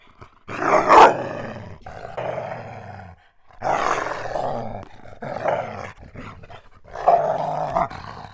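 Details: German Shepherd dog giving three long, rough, harmonic vocal bursts, each lasting one to two and a half seconds, with short silent gaps between them. The drawn-out quality comes close to a groan or howl.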